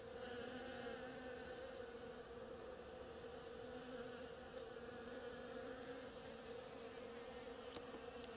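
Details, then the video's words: Foraging bees on a flowering oriental creeper produce an unbroken layered hum, rich in stacked harmonics, with a couple of light ticks late on. "Bees hard at work on my oriental creeper"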